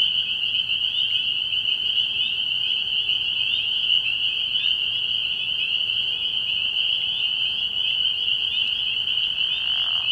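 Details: Spring peepers calling at night from a frog pond early in the year: a dense, unbroken chorus of high, shrill peeps that merge into one steady ringing tone throughout, with no other clear sounds.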